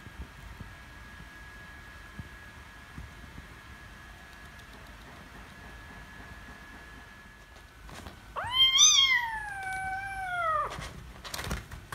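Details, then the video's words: Angry kitten after losing a wrestling bout: a quiet stretch, then one loud, drawn-out meow that rises, holds, and falls over about two seconds, with strong harmonics and a raspy, screaming edge. "Cute Kittens Gets Angry When Lose Wrestling, Meowing Loudly And Screaming"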